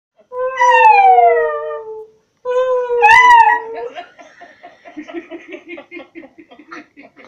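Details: Spartacus, a miniature schnauzer, singing indoors: two long, clear, falling howls, each about a second and a half, then a shorter broken note and a run of soft pulsed whines.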